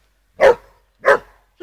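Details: Two loud sharp barks about half a second apart from a playful border collie during fetch, with the start of a third cut off at the end.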